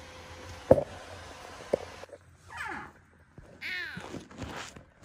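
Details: Rescued kitten Jango, blind at rescue, meowing around his eye surgery in a quiet room: three clear drawn-out plaintive meows with bending harmonics, preceded by a few knocks and thumps.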